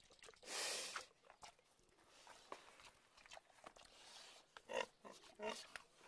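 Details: Pig giving one brief harsh squeal near the start, then a run of quiet irregular grunts and snorts with a few sharper clicks and nasal bursts toward the end.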